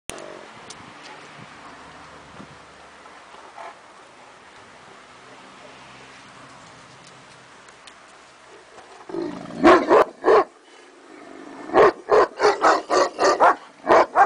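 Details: Neapolitan Mastiff barking: near-quiet for about nine seconds, then a burst of deep, rough barks, two at first, then a fast run of about seven in the last three seconds.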